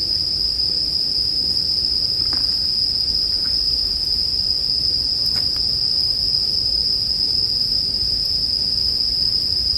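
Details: Steady shrill singing from a bell cricket runs unchanged for ten seconds, with only faint, sparse crackles from a campfire underneath.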